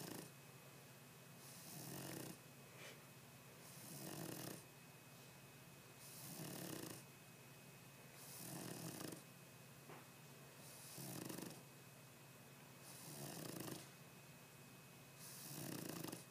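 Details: Boston Terrier sleeping and snoring loudly: steady, harsh rasping snores, seven in a row, each roughly every two seconds, rising and fading with each breath over a faint constant room hum.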